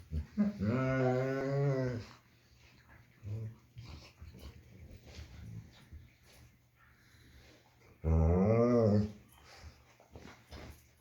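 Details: German Shepherd playing with its puppy indoors: two loud bursts of drawn-out, wavering, harmonic growling whines, the first lasting about two seconds, the second about one second near the end, with quiet scuffling between.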